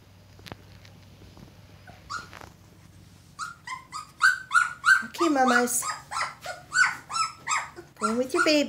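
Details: Two-week-old red Standard Poodle pups with their mother in a whelping box: after a quiet start, a dense burst of shrill squeals and whiny yelps, several pups overlapping, rapid and rising in intensity.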